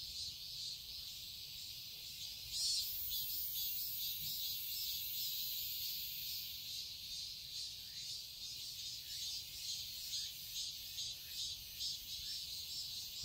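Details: Cicadas chirping in a Seoul garden, Korea, in summer: a continuous high buzzing chorus with uneven swells, joined early on by a thin, very high steady whine lasting several seconds.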